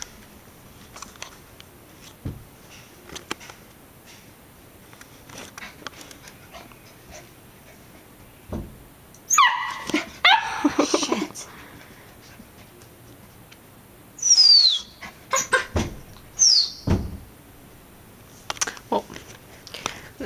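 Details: Female golden retriever Labrador mix puppy playing with a mirror indoors, lonely and treating her reflection as a friend: bursts of short excited barks and high, falling whining yelps, separated by quiet stretches with soft shuffling.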